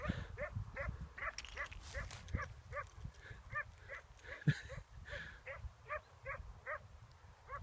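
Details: Eight-month-old female Bracco Italiano, Nelly, on her first hare hunt: a rapid, fairly distant run of short rising yips, about three each second, with rustling undergrowth and a brief human voice.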